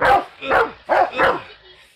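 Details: A Rottweiler gives four deep, rough, angry barks in quick succession, reacting to an aluminum baseball bat being pulled on him; he charges and bites the bat.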